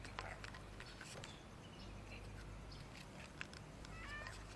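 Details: Cute street cat of an unusual breed, being fed and seeming sad or unwell, possibly with a cold or phlegm; a faint, short, wavering meow-like cry comes near the end over a steady low hum and light scattered clicks.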